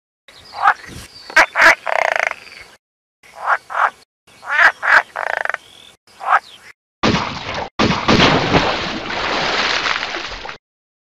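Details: Frog calling in short, loud bursts of rough, pulsed croaks with brief silences between them over the first seven seconds, then a long harsh, noisy stretch of broadband rasping to the end.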